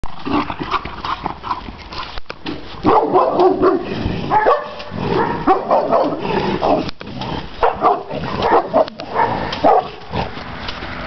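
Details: Šarplaninac dog named Tajson guarding the yard, giving loud, rough barks in irregular bursts with short gaps, mixed with some muffled background noise.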